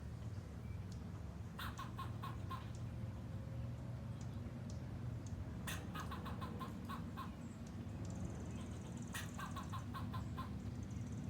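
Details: A squirrel flipping its tail gives short volleys of harsh, clicking, clucking barks, each run a second or two long and repeated several times, over a constant low rumble.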